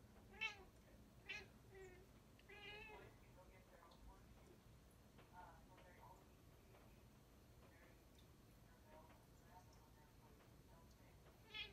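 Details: Indoors at a window, India the Bombay kitty chatters at birds outside with a series of short, bright meowing chirps and trills, several spaced through the stretch with quieter ones between, over low room hum.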